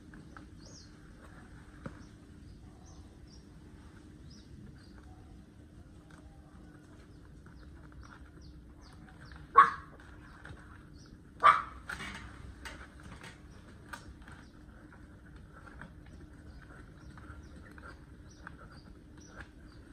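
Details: One-month-old puppy having its long toenails trimmed gives two short, sharp yelps about two seconds apart midway through, with faint softer sounds between them over a low, steady background hum.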